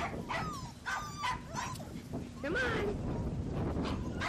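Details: Four-week-old Labrador Retriever puppies, still with their mother, on a ranch being socialized with people: short high whimpers and yips with wavering, bending pitch, broken by pauses, while a woman talks gently to them.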